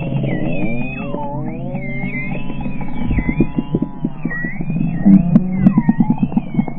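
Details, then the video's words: Short-beaked common dolphins give a run of sliding, looping whistles over a low underwater rumble. The sound is enhanced, recorded 15 June 2020 from a whale-watching boat out of Reen Pier, Cork, Ireland. "Listen to the Short-beaked Common Dolphin"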